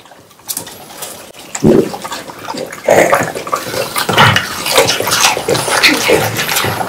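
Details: Three French Bulldogs eat watermelon indoors on a hot summer day. After a quiet start, loud wet crunching and slurping follow in close, irregular bites, with juicy smacking growing steadily denser.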